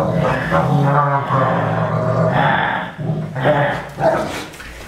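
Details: Leonberger play fighting with its owner: drawn-out, low, harmonic grumbling growls in several rolling bursts that rise and fall over about five seconds, with brief breaks between them.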